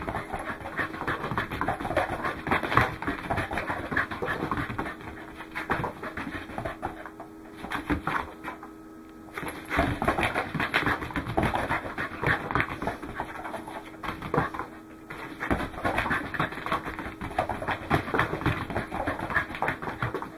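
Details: Welsh Corgi named Goro panting while running, recorded 12 December 2010; rapid, uneven breathy puffs, roughly three to four per second, with short pauses near the middle and a steady faint hum underneath.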